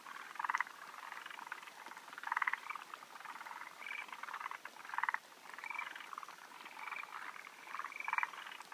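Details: A male forest green tree frog climbing a person at a spawning site in Japan, 16 June 2013, waiting for females, gives short chuckling bursts of rapid clicks every second or two.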